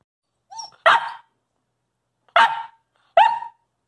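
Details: Young wolfdog Covi, a coastal wolf puppy, barks unprompted to get treats while his owner eats. A soft whine-like lead-in, then three loud, bright barks spaced about a second or more apart, each with a falling tail.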